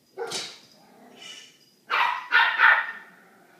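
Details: Little dog indoors barking at Manolo, a large dog kept behind a door; sharp yappy barks, one then a fainter one, followed by a rapid burst of three close barks.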